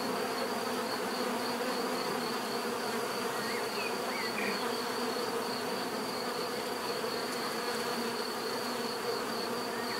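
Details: A swarm of bees hums steadily, thick layered buzzing that never pauses, topped by a constant high-pitched whine; a few soft bird twitters slip in around the middle.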